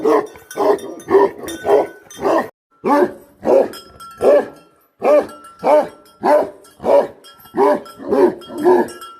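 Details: Guardian dog of the Bhote Kukur type barking persistently, about fifteen rough, resonant barks in a steady rhythm, with a brief pause after the first five and a faint steady tone in the background.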